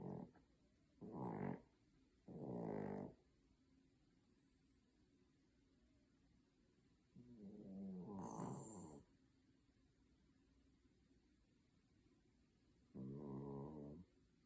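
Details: Sleeping poodle snoring in a human-like way: irregular low rasping snores, some short and some drawn out, separated by long quiet gaps, with faint high hiss during louder snores.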